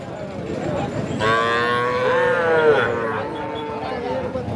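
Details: Calf at the traditional Ambari cattle market in Parbatipur, Dinajpur, Bangladesh, on Friday 29 December 2023: a rising then falling moo of about one and a half seconds, rich in harmonics, over a steady murmur of the market crowd.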